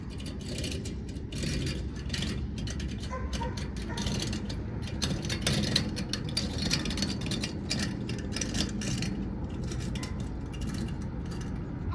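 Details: Steady mechanical rattling and ratcheting, like gears or machinery, with a low rumble throughout and no animal voice.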